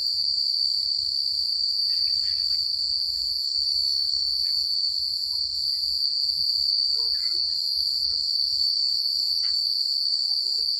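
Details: Crickets chirping at night in the quiet countryside: a steady, unbroken high-pitched trill runs through the whole stretch, with a few faint, scattered chirps from other creatures below it and a soft low rumble.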